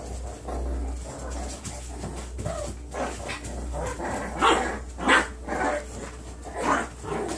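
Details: Nine-week-old foster puppies of one litter playing indoors, giving short scattered yips and barks with whimpers at irregular intervals, louder bursts near the middle and end, over a steady low hum.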